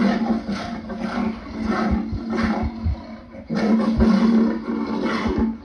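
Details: Lion giving a run of short, rough roaring grunts about every half second, with a brief pause midway before the grunting resumes louder; a steady low hum runs underneath.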